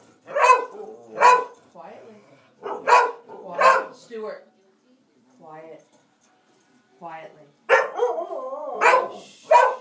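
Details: Playing dogs bark and howl in uneven bursts, several rough barks followed by quieter whining phrases, then a rapid run of yowling barks; a person's voice is faintly heard between calls.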